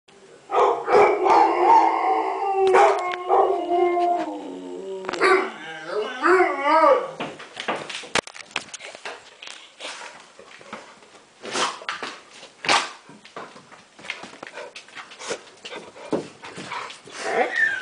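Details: Yellow Labrador named Rain howling with a Toller named Kurt joining in, the two dogs working as a pair; sustained wavering harmonic howls for the first seven seconds, sliding pitch, then scattered clicks, thumps and short noisy sounds.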